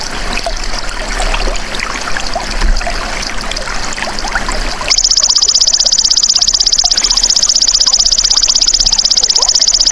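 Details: Golden grasshopper sound used as a songbird training track: about five seconds of rustling, trickling background noise, then a sudden steady, high, pulsed buzzing trill that continues evenly to the end.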